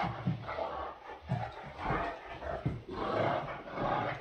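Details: Great Dane indoors giving a series of short, rough, broadband vocal bursts, spaced irregularly about every half to one second, with soft panting-like breaths in between and a small-room echo.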